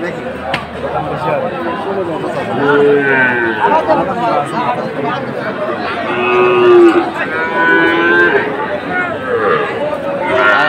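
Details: Sahiwal bull at a cattle market in Chattogram, Bangladesh, on 7 September 2024: two drawn-out, harmonic moos, each lasting about a second, separated by several seconds, over steady market chatter and voices.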